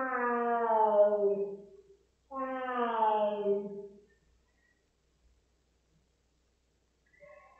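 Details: Two long, mournful yowls from Rosetta, a house cat upset after a flea and tick pipette was applied, each sliding slightly downward in pitch, separated by a short pause, then quiet.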